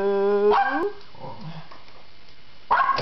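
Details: Poodles upset by a vacuum cleaner, filmed indoors on a Kodak digital camera: a steady, tonal whine that bends upward into a short rising yelp, followed by quieter rustling and a final burst of sound.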